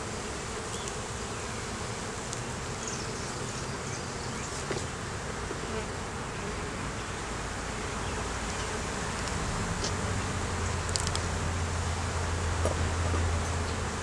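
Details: Swarming hum of honey bees at a hive under inspection in the beeyard, Canon Rebel T6 DSLR recording; a broad steady drone that swells louder toward the end, with a deeper buzz close by and light taps.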